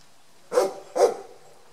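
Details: First wild boar piglets of the year in Parco di Montioni, Maremma, Tuscany; two short, harsh squeaky calls about half a second apart, each with a quick pitch wobble, over quiet background.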